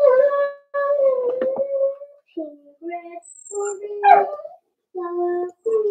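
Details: Indoor pen of four-week-old Cavalier King Charles Spaniel puppies: long, steady, tonal whines and howl-like cries, some dipping lower in pitch, repeating with brief pauses across six seconds.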